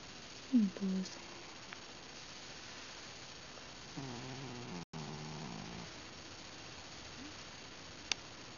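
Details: Sleeping pet cat Ben, petted as he dozes, gives a brief rising squeak then a low wavering grunt lasting over a second; soft clicks and a quiet room around him.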